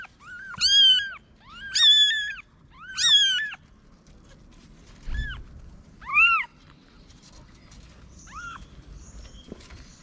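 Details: Mother cat hiding newborn kittens in a paper box on a Moroccan street; three loud bending meows in quick succession, then three softer, shorter meows after a pause, with a faint thud between.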